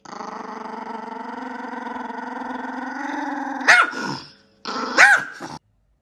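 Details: Yorkshire Terrier growling in the morning: a long steady harmonic rumble for almost four seconds, then two short sharp rising yelps or barks at about 3.7 and 5 seconds, indoors.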